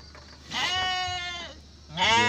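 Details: Two close bleats from a Garut sheep ewe feeling labour pains while giving birth to triplets: a long nasal, quavering cry lasting about a second, then a second bleat starting right after a short pause.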